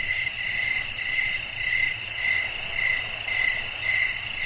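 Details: Night-time cricket song amid wind and natural surroundings: rhythmic high chirping swells rising and falling about twice each second over a steady, bright background drone.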